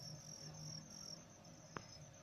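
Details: Cricket in a rural village setting, heard faintly as a steady high continuous trill over a low background hum, with one sharp click near the end.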